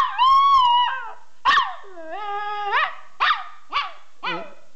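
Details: Pet dog howling happily: long, smooth, wavering tones, the first held about a second, then a dip and a rising drawn-out note, followed by three short yelping howls, clear against a quiet background.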